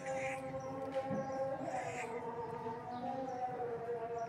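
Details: A tabby cat gives long, drawn-out crying meows near a person, wavering up and down without pause.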